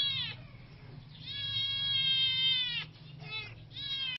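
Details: Siamese kittens, siblings, in a fight: repeated loud, strained wails, one held for well over a second, broken by short gaps and a clipped squeal, with a constant low hum beneath.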